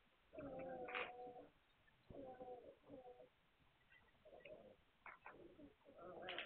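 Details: Young Hungarian Vizsla puppies, 9 March 2021, give a run of tonal, cooing whimpers. There are about five held whines, each lasting under a second, the first rising into a sharper squeal, broken by short quiet breaks.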